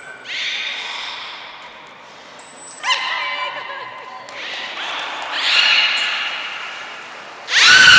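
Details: Belugas in a training session with all animals taking part at Port of Nagoya Public Aquarium, 16 March 2024: bursts of bright, harmonic squeals and chirps, short thin high whistle tones between them, and a loud splash at the end.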